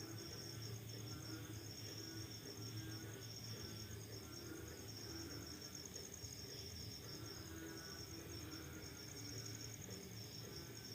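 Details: Crickets at night following rain, a high pulsed trill that wavers and breaks into segments, heard over a prominent low rumbling background and some faint mid-range sounds.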